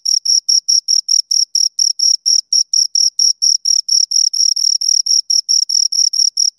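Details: High, shrill cricket chirps from two insects, separate pulses repeated roughly four times a second in a strict, insistent rhythm. Each pulse carries a bright core tone and a weaker upper ring, over complete background silence.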